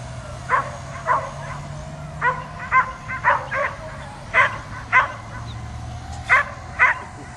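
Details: Dog barking at an overhead drone and leaping toward it, giving about a dozen sharp barks in uneven bursts, some doubled, over a continuous low mechanical hum.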